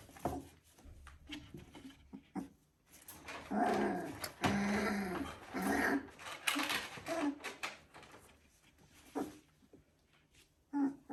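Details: Border Collie puppies, three weeks old, giving squeaky whines and short yelping cries in a dense cluster over a few seconds, then scattered fainter whimpers with quiet pauses, in a small indoor room.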